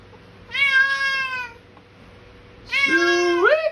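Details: Bengal cat and its two feline companions at feeding time, loud shouting meows indoors: a long drawn-out harmonic meow, a pause, then a second meow that ends in a sharp rising squeak, with a steady low room hum beneath.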